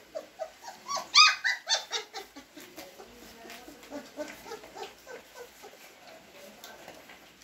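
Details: White and brown Great Dane puppy at feeding time: rapid series of high, short whines and yelps, several per second, loudest early then tapering to softer whimpers.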